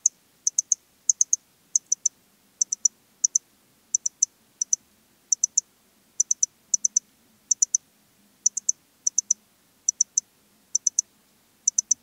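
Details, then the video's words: Eastern Stripe-headed Cricket song from Puntigam, Austria, 10 June 2022: steady series of high, sharp three-pulse chirps repeated about every half second, very regular, with a faint low rumble in the background. "Modicogryllus frontalis -- Östliche Grille -- Eastern Stripe-headed Cricket"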